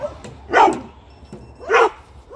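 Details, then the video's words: Cooper the dog barking, two sharp, harsh barks about a second apart, each a short noisy burst, against a quiet background. "Very Very Annoying And Barking Cooper"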